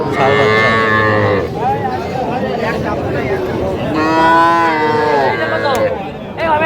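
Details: Small bulls and heifer calves at a cattle market in Jamalpur, Bangladesh, on 19 August 2025. Two long, loud, harmonic moos, the first falling at its end and the second held about two seconds, over traders haggling and crowd chatter.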